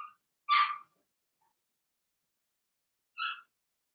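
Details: Litter of six Blenheim Cavalier King Charles Spaniel puppies, born March 7–8, kept indoors in a home puppy pen. One sharp harmonic yelp sounds early, followed by a long silence and a shorter second squeal.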